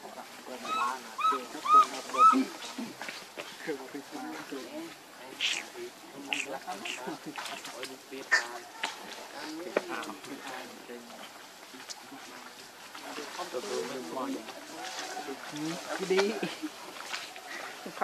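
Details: Baby monkey named Leo crying and begging its mother for milk: a run of high, wavering, tonal cries early on, then a dense stretch of overlapping squeaks, clicks and chatter with rustling throughout.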